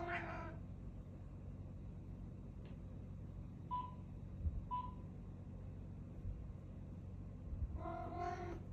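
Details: A Siamese cat meeting a new cat gives two loud, drawn-out meows with brief chirps between them.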